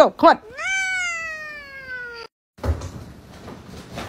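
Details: Domestic cat in a funny pet compilation: two short squeaky calls, then one long, steady meow that drifts slowly lower in pitch for nearly two seconds, followed by a sudden cut to soft indoor rustling and handling noise.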